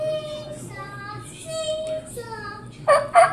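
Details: A Chihuahua howling in response to a turkey call gives a run of thin, drawn-out howls, each about half a second, some sliding downward, before loud harsh gobbling bursts from the turkey call close the clip.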